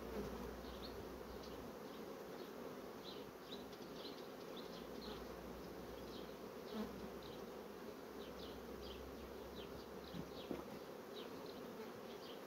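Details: Honey bees of a colony rapidly filling brood frames hum in a constant low drone, while small high descending chirps, likely from birds, come through repeatedly in the background.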